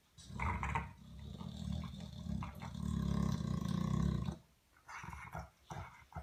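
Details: Pet dog asleep, snoring so loudly it drowns out the television: long low rasping rumbles, one stretching from about two to four seconds, separated by quiet gaps and short wheezy snorts.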